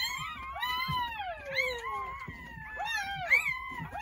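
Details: Newborn Jindo puppies, part of a litter of nine born on New Year's Day at a country house, give a few long, high, wavering whines that slide downward, several overlapping, with soft thumps beneath.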